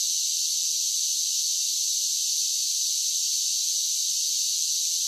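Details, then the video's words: A chorus of cicadas on a summer day, a steady unbroken shrill buzz with no pauses or changes in loudness, high and hissing, with nothing heard below it. "10 Hours of Cicada Sounds for Relaxation with Soothing Summer Nature Sounds"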